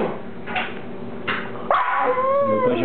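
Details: Boston Terrier named Bubba barking indoors at a daddy long legs spider on the wall: two short, sharp barks about a second apart, then a person's voice urging him on over a steady background hum.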